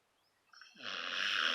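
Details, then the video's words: Sleeping puppy named Gus snoring: a quiet lead-in, then a loud, rough, buzzy snore with a low droning tone, swelling and holding steady to the end. "snoring Gus puppy"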